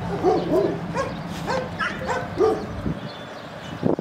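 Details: Cane Corso dog giving a run of short, arched, yelping barks, about two per second for two and a half seconds, then a quieter pause before a final brief sound.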